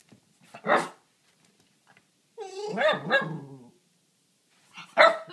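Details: Dog barking at a rabbit on the other side of a fence: a short sharp bark, then a drawn-out, wavering, harmonic vocal 'talking' sound, and another abrupt bark near the end, with quiet gaps between.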